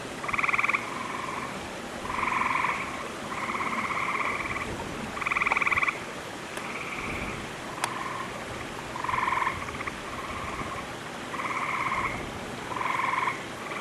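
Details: Gray treefrogs in lush, green wolf-exhibit vegetation after recent rains, approaching summer (11 June 2010), give short, musical trills, several callers overlapping in steady succession; a loon can also be heard in the background.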